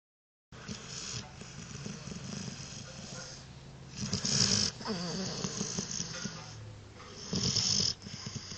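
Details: A sleeping dog snores heavily, each harsh, broadband rasp swelling for about a second and returning roughly every three seconds, with a softer rumbling breath and faint hiss filling the gaps between snores.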